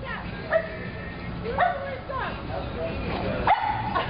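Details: Pug frightened by a pig piñata gives short high yips and barks roughly once a second, some with a rising whine-like start, with people talking in the background.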